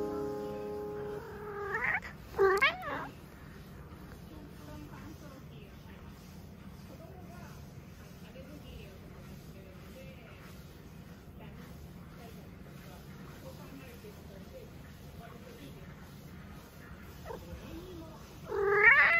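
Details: An affectionate male Norwegian Forest Cat gives two quick, rising tonal meows, then a long hush with faint room noise, then one more bright, rising meow.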